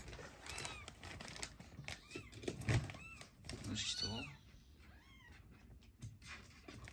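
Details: Fostered rescue kittens, a sister and brother taken in on emergency, during toilet training indoors in Japan; several short arched meows, some high and thin, rise and fall between clicks, rustling and a person's voice.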